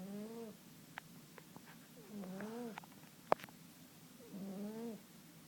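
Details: Sleeping cat snoring in gentle, tonal wheezing breaths, three in a row about two seconds apart, with a few faint ticks and one sharp click between them.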